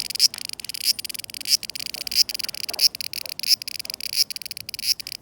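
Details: Cicadas singing in summer 2020, a dense continuous high buzzing with short pulses repeating about every 0.65 seconds.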